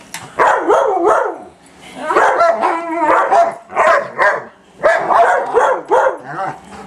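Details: German Shepherd and shepherd/husky mix attacking the vacuum, barking almost nonstop in loud harmonic bursts with warbling whines mixed in, roughly two to three barks per second, against a steady vacuum hum.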